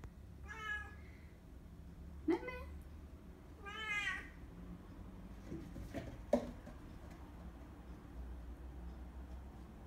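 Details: Bengal cat attacking, uttering a run of short and medium meows, three clear harmonic cries in the first four seconds, then fainter clipped sounds and soft knocks against low steady background noise.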